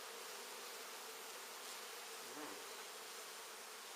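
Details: Continuous droning of a massive honey bee colony indoors. Part of the hive is exposed and part sits inside a wall, with the queen starting to lay eggs for summer. The hum is even and unbroken.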